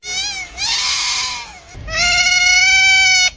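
An otter gives two long, high, strained squealing calls, each held for over a second.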